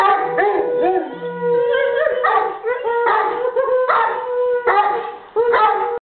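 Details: Howling English Mastiff, a male, sustains loud, tonal howls that waver and slide up and down, broken into several long phrases with short breaths between them.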